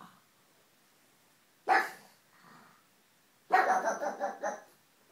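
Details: Pug barking indoors: two short sharp barks, a single one near the start and a longer rough burst of several quick barks later, with near silence between them.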